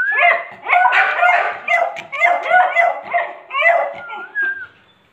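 Beagle puppies yelp and whine in high, overlapping bursts, several each second, then trail off into a thin squeal.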